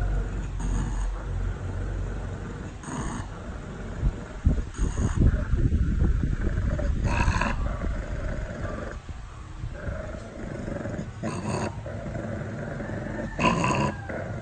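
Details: A pug gives low, rough grumbling growls and snorts in uneven bursts while a person nearby remarks that it isn't fierce.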